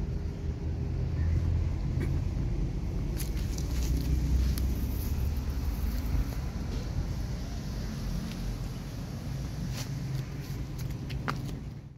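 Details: Deep engine rumble of a passing vehicle dominates, with wind and a few scattered clicks and knocks.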